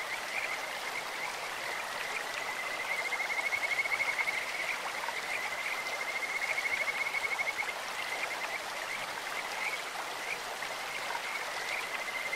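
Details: Singing Kajika frog by a clear mountain stream: long, even, high-pitched trilled whistles hold one tone for several seconds at a time, half-buried in the steady roar of flowing water.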